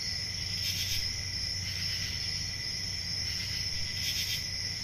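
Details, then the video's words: Crickets calling through an ambient summer night in the forest, a constant high shrill tone with a weaker lower tone, two stronger bursts near the start and end, and a low steady rumble. "10 Hours Relaxing Cricket Sounds For Sleep Ambient Summer Night Soothing Forest Sounds At Night"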